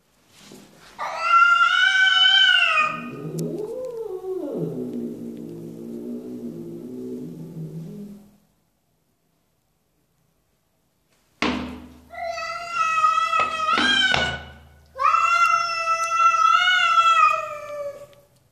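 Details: Domestic cat calling indoors: long drawn-out harmonic meows, one sliding down into a low wavering moan, then after a pause several loud insistent meows in quick succession.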